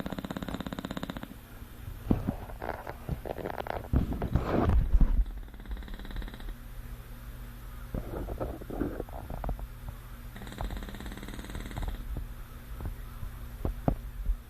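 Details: Manny, a male English Bulldog, snoring in his sleep: short rattling snores at the start and again around 10 to 12 seconds, between stretches of rustling, thumps and snuffling breaths.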